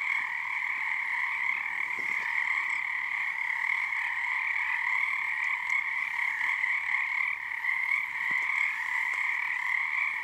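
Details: Frog chorus at Frog Korner on Harstine Island, Washington, under the season's first full moon, a snow moon: a dense, unbroken trilling wall of many overlapping callers in two steady bands, with one brief dip near seven seconds.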